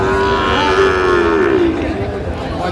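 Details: Sahiwal bull calf at a cattle market bought by a woman farmer from Jessore, dated 12/3/25: one long, steady mid-pitched moo that sags slowly downward over about a second and a half, with market chatter and crowd noise behind.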